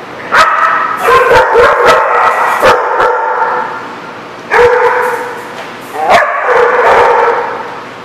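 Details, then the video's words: Several dogs barking at a dog lot, recorded April 28, 2014: harsh, loud barks in rapid overlapping bursts, with sustained yelping tones between them and three main flurries over about eight seconds. "The Barking Lot"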